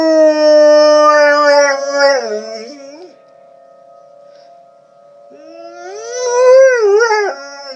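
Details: Howling dog accompanied by tornado sirens; a long level howl breaks into falling, wavering notes and fades, the siren hums alone for a few seconds, then a new howl swells upward and wavers.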